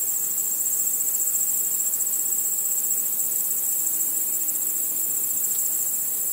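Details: Crickets at night under the stars, chirping in a continuous, very high, fast-pulsed trill, with a brief faint lower tone partway through and a quiet backdrop.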